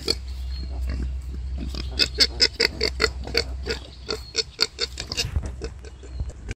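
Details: Wild boar sow during birth: quick train of short, tonal, squealing grunts with a clear ringing pitch, roughly two to three per second, rising and falling in loudness, over a low steady drone.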